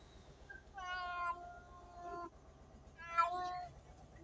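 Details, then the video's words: Cat giving two clear, drawn-out meows, the first about half a second long with a steady rich tone, the second shorter and rising, over a quiet background. "Funny Cats and Kittens Meowing sound effects | Cat Sound | kitten sound | Cat Voice"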